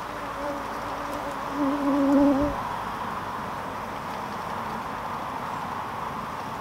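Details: Bees in Norway: a continuous low hum, with one bee passing close for about a second, its louder wavering drone rising and falling in pitch before fading back into the steady background buzz.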